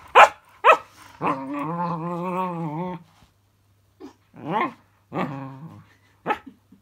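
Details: Cookie, a pet puppy, reacting to a fidget spinner toy indoors: short sharp bark-like yelps, then a sustained wavering harmonic growl-whine for nearly two seconds, followed by several more rising-and-falling vocal bursts.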